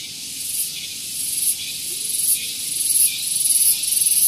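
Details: Tonggeret, the cicada, calling loudly one morning at Gunung Geulis, Bogor, West Java, near parked vehicles; high hissing buzz rising in intensity, broken into rapid regular throbs about four per second.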